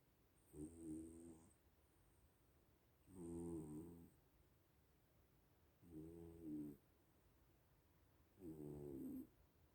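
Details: Sleeping little cats snoring indoors: four rough, buzzy snore bursts about a second long, each with stacked low tones and a faint hiss on top, returning roughly every two and a half seconds in a quiet room.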